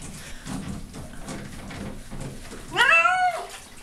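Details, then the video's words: Female domestic cat being washed in a bathtub because she had become smelly, clearly unhappy; after a stretch of steady background noise comes one loud, drawn-out meow that rises and then falls. "My Cat in Bathtub"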